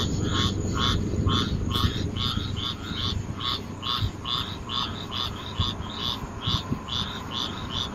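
A frog gives short, rasping pulsed calls, repeated roughly twice a second over a low rumble.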